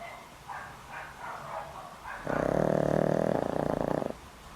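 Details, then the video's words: Boram-i, a dog of more than twenty years with a weak heart who takes daily medicine, asleep and snoring loudly: soft faint breaths at first, then one loud, buzzy, low rumbling snore lasting about two seconds. "강아지 코고는 소리~! 코골이가 우렁차요~!"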